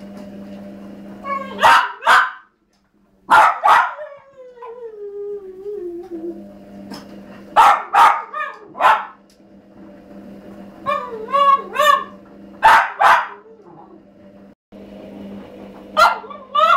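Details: A male Cavalier King Charles Spaniel, 1½ years old, whines and yelps in short bursts, crying for a female in heat who lives downstairs in the same house.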